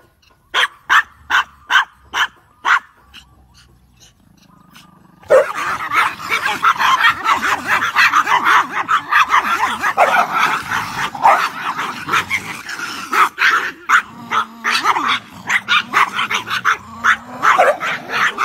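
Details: Dogs arguing through a gate, barking at each other without realizing it stands open; a run of sharp separate barks, then from about five seconds a continuous frantic tangle of overlapping barks and snarls from several dogs.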